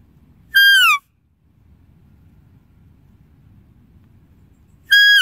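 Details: Two high squealing deer calls, the first falling in pitch, the second starting at the very end, with a long stretch of soft low noise between.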